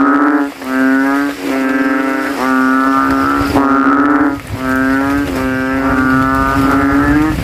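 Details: Banded bullfrog chorus in a flooded cemetery hollow after nightfall rain, each frog straining to out-call its rivals; long resonant moo-like drones run back to back, briefly interrupted by short dips.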